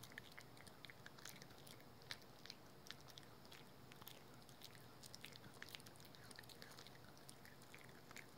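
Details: Rookie, a household dog, gnawing steadily on a dental chew indoors, producing a dense run of crisp clicking bites and crunches throughout, over low room hum.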